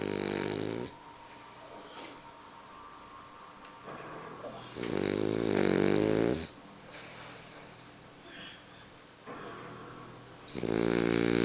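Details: French Bulldog sleeping soundly, snoring: three loud, rattling, harmonic snores of about a second or more each, separated by quieter wheezy breathing, a faint steady hum throughout.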